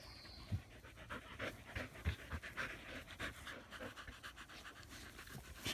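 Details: Australian Shepherds resting in the shade under a willow tree pant in quick, breathy huffs repeating several times a second.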